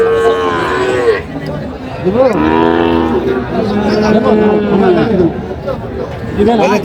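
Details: Sahiwal-breed bull calf at a cattle market in Chandpur, Bangladesh, on 23 July 2025, lowing repeatedly. Drawn-out, nasal moos arch up and down in pitch, with short pauses between them, above a constant hubbub of market noise.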